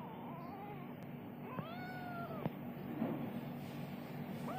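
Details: Kitten giving a few soft meows, each a thin, drawn-out wavering cry, the clearest near the middle and another starting at the very end, over a steady low hum and faint room noise.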